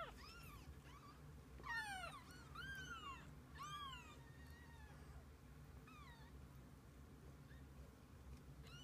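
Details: Mother cat and kittens together through the day; bursts of bright, downward-bending mews come in quick clusters early on, then thin out into scattered softer cries against a constant low background drone.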